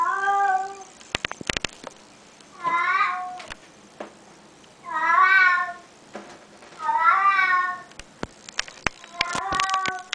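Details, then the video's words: A house cat described as talking, though it only says one word, meowing five times in about ten seconds; each meow is a wavering, slightly rising then falling cry, with clicks and taps between calls. "the talking cat"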